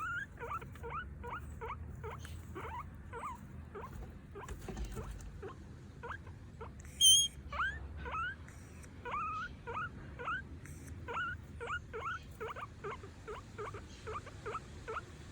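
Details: A female pet guinea pig squeaks repeatedly in short, rising whistles, begging for food.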